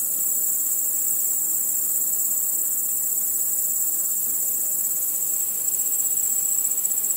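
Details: Crickets trill in a steady, high-pitched chorus that never pauses, among other nocturnal insects at night; cricket.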